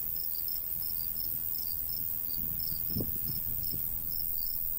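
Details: Crickets chirping in a summer countryside wheat field, rapid high pulses running steadily, a brief low thump near the middle, and gentle breeze noise throughout.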